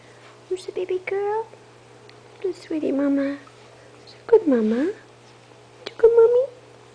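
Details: Hungry 20-day-old puppies of Itsy Bitsy, five in the litter, waiting for mother to nurse them, give drawn-out tonal whines that slide downward, four separate cries spaced about a second and a half apart.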